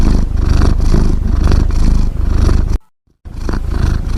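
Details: Snoring cat heard as a deep, rough, rhythmic rumble with even pulses, broken once by a brief silent gap before it resumes.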